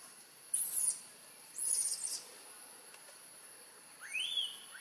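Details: Crying newborn monkey, a macaque of Siem Reap Province near Angkor, hungry for milk after Tarzanna kidnapped her: two piercing shrill squeals early, then a rising wail near the end, against a constant high hiss.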